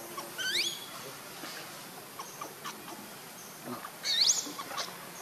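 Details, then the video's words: Hungry baby monkey Lucie crying for milk: two brief, shrill, twisting squeals about four seconds apart, sweeping up and down, with faint clicks and rustles between them. "Lucie Very Pitiful Need Milk Crying"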